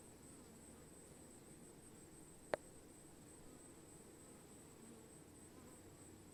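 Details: A honey bee (Apis mellifera) swarm hums as a steady, dense drone of many overlapping wingbeats, broken once by a sharp click.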